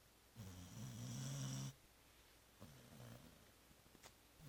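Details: Zoé, a dog, asleep and snoring after returning from Christmas Eve dinner and Christmas brunch; one long, loud, low rumbling snore breath, then two softer, shorter snores, in a quiet indoor room.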